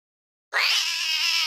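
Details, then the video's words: Cats fighting, offered as a sound effect: a single harsh, high, sustained yowl that starts abruptly after half a second of silence and holds steady, bright and raspy, to the end. "Gato brigando"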